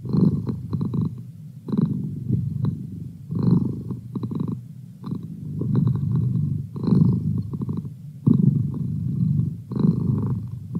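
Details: Low rumbling purr from Merlin the house cat, pulsing in short bursts with each breath, slightly uneven and softer than a steady drone, no other sounds present.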